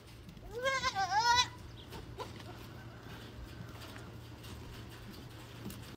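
A male goat gives one loud, wavering bleat lasting about a second, followed by quiet background noise.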